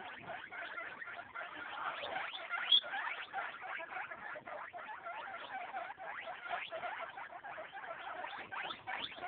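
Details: Baby guinea pigs eight days old, all doing well, keep up a dense, steady chatter of soft clicks and short squeaks, with one brief high squeak about a third of the way through.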